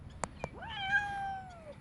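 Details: Well-fed stray cats at a feeding, where some scuffle and fight, and one domestic cat gives a long, drawn-out meow that rises, then slowly falls in pitch.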